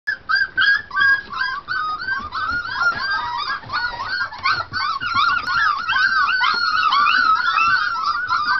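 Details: Litter of four-week-old Treeing Tennessee Brindle pups treeing on a food bowl: dense, overlapping high-pitched yelps and arched whining squeals, rapid and continuous, several pups calling at once, indoors.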